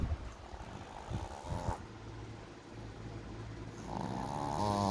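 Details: A Boston Terrier snores in low, rumbling breaths, with a nasal, whistling edge on some; the owner suspects it is dreaming of eating.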